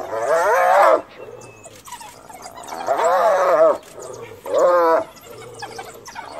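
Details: Hyena mother, cornered by wild dogs beside her recently dead cub, calling for backup from her clan: three loud wavering, giggling bursts about a second long, separated by quieter pauses.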